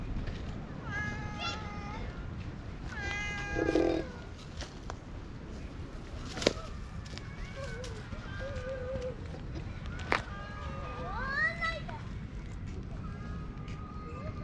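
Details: Affectionate stray cat with a hoarse voice, recorded on a GoPro: scattered husky meows, some short and some drawn out and wavering, among clicks, rustling and occasional thumps.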